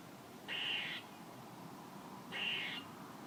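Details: Two rasping, high-pitched squirrel calls, each about half a second long, about two seconds apart, over a quiet background.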